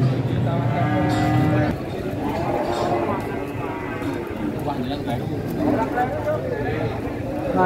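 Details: Cattle at a packed morning market during price haggling. A low, sustained moo opens the moment and lasts under two seconds. It is followed by busy male speech and crowd din.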